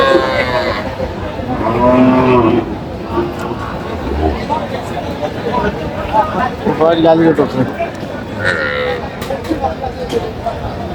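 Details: Cattle among the cows and calves for sale at Aftabganj haat in Dinajpur, 5 July. Two low, harmonic lowing calls come early, one brief and one longer, then fade under continuous human talk and market bustle.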